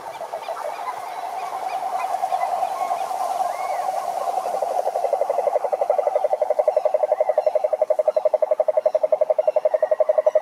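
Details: Cane toads calling together at a lake in the Brazilian Atlantic forest: a low, buzzy pulsed trill that grows louder and more evenly rhythmic, ending in sharp regular pulses, with a few thin whistled notes from birds overhead.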